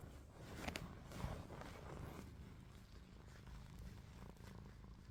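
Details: Snoring from Ruby, a pet cat with her eyes open: a low rumbling drone that swells briefly near the start, then settles into an even hum, with a few rustling noises.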